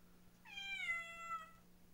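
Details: A domestic cat howls indoors during a March 2015 unboxing. Its single drawn-out, wavering cry lasts just over a second, starts high and slides slowly downward in pitch, over a faint steady electrical hum.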